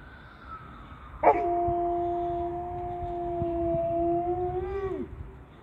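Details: Alaskan Malamute howling at an ambulance it cannot see: one long, steady, mid-pitched tone held for nearly four seconds, then bending downward at the end, over faint background hiss.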